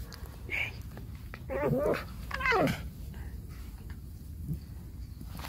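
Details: Alice, a pet fox kept at home, complaining indoors: a short high squeak, then two loud wavering, warbling whines that slide downward, the second sharper and higher, over a low room hum.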